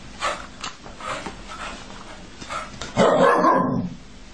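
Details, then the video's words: Angry dog that wants a cat out of its bed: several soft, muffled huffs or barks spaced about half a second apart, then a louder, rough growl lasting nearly a second, recorded indoors. "Angry Dog Wants the Cat out Of his Bed"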